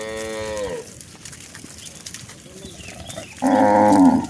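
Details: One cow in a village herd of hundreds, being herded home from the fields to the barn one afternoon, ends a falling moo. A quiet gap follows, then a loud, rich, steady bellow rises at the end.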